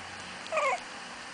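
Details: Chihuahua puppies playing; one short, bright, whining yelp lasting about a quarter second, sliding slightly upward with clear harmonics, against a quiet background, followed by a person speaking.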